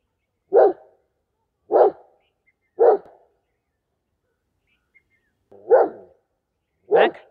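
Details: Mac, a loyal German Shepherd, guards its owner against strangers with five deep, forceful single barks, roughly one every second or so, with a longer pause before the last two.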